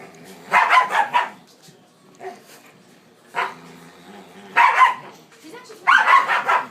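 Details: Dogs playing, giving bursts of short yapping barks in clusters around one second, four main bouts with quieter pauses between, plus human speech in the background.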